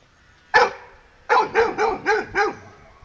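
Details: On a morning walk, a dog scared to pass a buffalo lets out one sharp bark, then, after a pause, a quick run of five barks about a quarter second apart, while a person coaxes it on.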